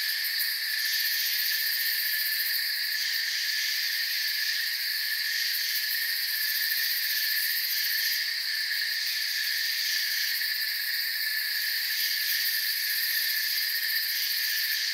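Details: Forest crickets sing together in an unbroken, high-pitched chorus, several layered trilling tones sustained at an even volume. Slight swells in the highest band come and go. There are no breaks, voices or other clear sounds.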